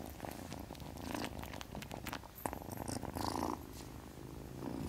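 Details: Continuous low purr from the sleeping kitten Witty, softly pulsing, with occasional brief crackles of movement noise.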